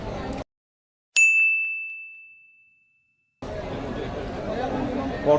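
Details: A single clear metallic ding rings out after a brief silence and slowly fades, followed by a steady background murmur of outdoor noise at a cattle sale.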